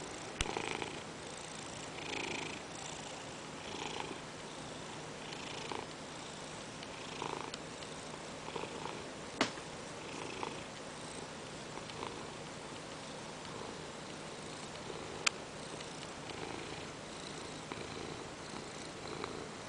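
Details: Indoor purring from Peanert the Ragdoll cat, settled on the owner's lap during work and demanding petting. Long, steady droning purr with rhythmic swells and a few sharp clicks.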